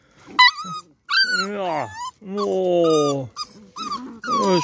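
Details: Playful beagle puppies in an outdoor enclosure, mixing low drawn-out growl-whines that slide downward with sharp high yips, several pups overlapping, a voice speaking nearby.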